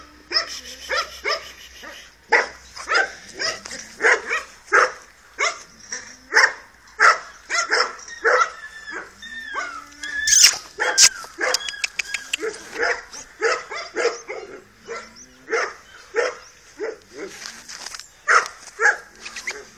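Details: Sustained bout of shrill yaps and yelps from Tyson, a two-month-old Dogo Canario puppy, fast and uneven, with a brief whining slide and a burst of clatter midway.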